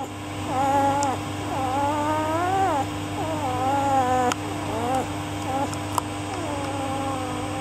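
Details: Male Rough Collie puppy, 12 days old, hidden under a blanket in a warm room, calling as he grows cold; a series of thin, wavering whines and squeals, each rising then falling, with a steady electrical hum beneath.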